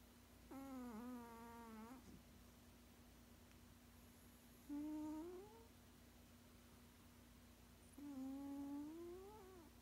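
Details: Snoozing 16-year-old male cat, which has made such sounds in its sleep all its life, produces three drawn-out humming snores roughly every four seconds, each tonal and gently rising, over a steady electrical hum in a quiet room.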